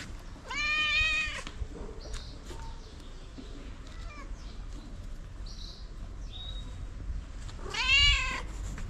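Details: Tabby cat meowing loudly to summon other cats for food, two long harmonic meows at the start and end, a few faint shorter cries between, over steady outdoor background rumble.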